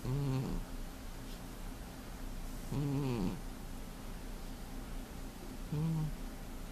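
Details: Indoors in February 2015, a sleeping heavy male cat gives three loud, low, buzzing snores about three seconds apart, each a short rasping breath over a soft background hum.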